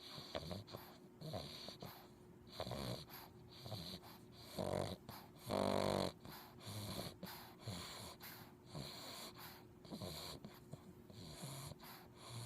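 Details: A male English Bulldog puppy snores while asleep, with rough, wheezy breaths repeating about once a second.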